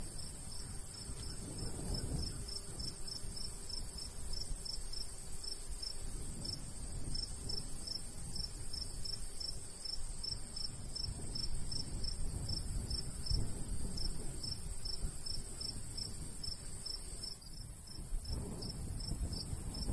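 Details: Crickets calling over a summer wheat field in the countryside: an unbroken series of quick, even, high pulses, with gusts of light breeze swelling and fading every few seconds.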